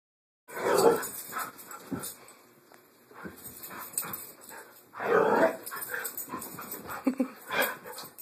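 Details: Three-year-old adopted female Siberian Husky, AKC registered, indoors minutes after arriving at her new home on her first day; loud, breathy bursts of vocalizing near the start and again around five seconds, with softer whining sounds between.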